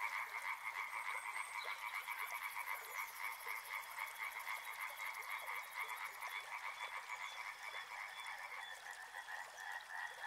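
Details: A river frog chorus of rapid, overlapping croaks pulsing several times per second, steady and loud throughout, with a high thin buzz in the first six seconds and water noise beneath.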